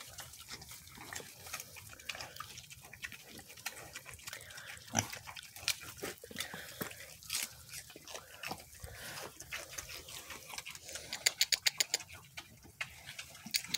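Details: Mini pigs eating celery, with wet, crunchy chewing clicks repeating in quick bursts; a loud snap near the middle and a dense run of crisp crunches toward the end.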